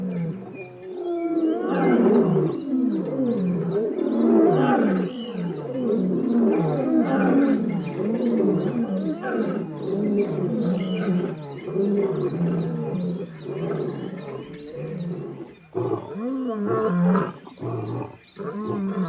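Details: Lions in the African bushveld give deep, rumbling roars and growls that overlap in a dense, continuous chorus.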